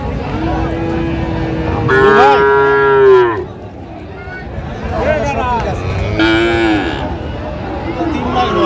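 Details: Friesian and crossbred bull calves, about four months old by the seller's account, at Raniganj cattle market in Dinajpur, Bangladesh, 15 January 2025; two loud bellowing moos that rise and then fall, amid voices and market bustle.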